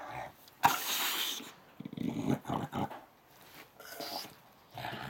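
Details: Dixon, a pet English Bulldog, throws a tantrum while upset about something: rough low growls and grumbles come in short irregular bursts, with a sharp broadband burst near the start and quiet gaps between.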